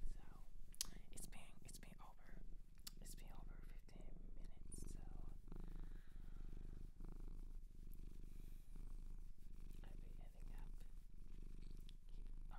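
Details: Cat adopted from a Japanese shelter purring steadily in a quiet room, low vibrating rumble throughout, accompanied by intermittent whispers and soft clicks of touch and movement.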